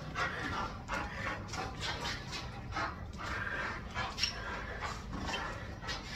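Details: Chow Chow panting hard during tug play training, loud breathy bursts about every half second with faint scuffling and a brief squeak near the end.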